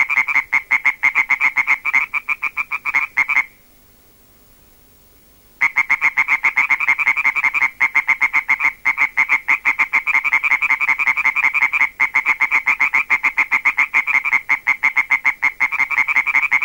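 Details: Pair of European tree frogs calling rhythmically in a field recording, their loud rasping croaks overlapping into a dense, fast rattle, with a short silent break near the start before the steady chorus returns.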